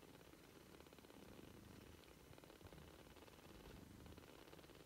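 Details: Three-week-old British Shorthair kittens purring: a low, continuous rumble made of rapid, even pulses that holds without a break for about five seconds in a quiet indoor setting.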